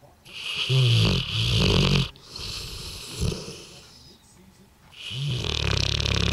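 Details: Heavy rasping snores from Sherman, a 2-year-old Bullmastiff dozing after eating too much turkey at Christmas. Two long rumbling breaths open the clip, followed by quieter snuffles. A loud snore swells again at the close.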